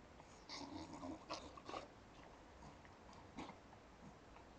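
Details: A Staffordshire Bull Terrier grumbles in short, breathy whines and snorty huffs, complaining and begging for more popcorn.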